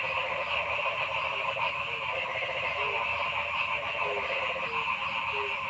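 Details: Frogs calling in a forest: short, low, croaking notes come at irregular intervals over a dense, steady chorus hum that fills the middle and upper range throughout.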